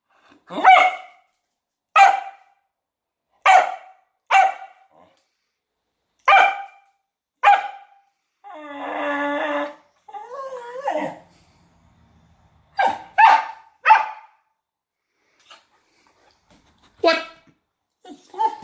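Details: A female Kelpie playing with a toy gives sharp, single barks spaced a second or two apart, with a person talking briefly.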